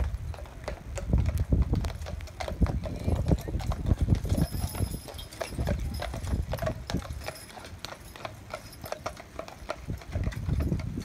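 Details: Harnessed pair of Clydesdale horses driven on the reins by their owner, who came from Scotland; steady stream of sharp, overlapping hoof clops with rolling low-frequency rumble and occasional voices.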